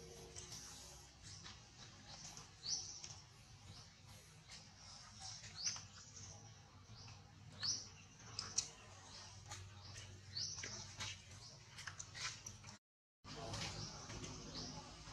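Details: Very small baby monkey uttering short high squeaks repeated about every second, brief bright chirps over steady low background hum, with a short break of silence near the end.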